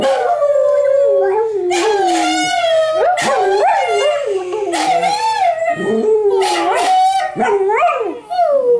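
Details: Dachshund howls at dog television as a companion dachshund sits silent; sustained, quavering howl gliding down then up, broken by bursts of brighter, higher yelping notes and overlapping voices.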